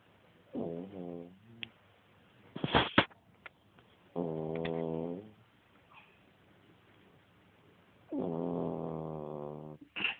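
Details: Pet dog sleeping during one of its naps, snoring in three long, voiced, buzzy rumbles of about a second each, spaced roughly four seconds apart, with brief rustles and clicks between breaths.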